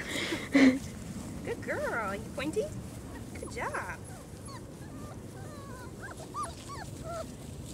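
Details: Litter of four-week-old German Shorthaired Pointer puppies on their first time outside, giving thin high whines and squeaks that bend up and down in short bursts, with women talking and praising them over the top.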